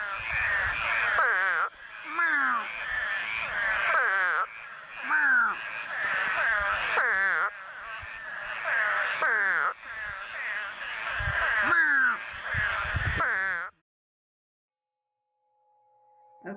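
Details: Eastern spadefoot toads of West Virginia give nasal, bleating calls like a sheep or goat, repeated in overlapping bursts.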